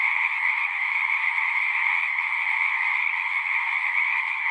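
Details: Many frogs calling together at a pasture pond, captured with a Zoom recorder, form an unbroken shrill trilling drone that holds steady in loudness across the whole stretch, with no other sounds standing out.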